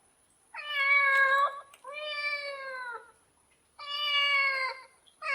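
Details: Domestic cat producing three long, steady, clear meows about a second each, flat in pitch with a gentle downward tail, rich in harmonics, with short pauses between.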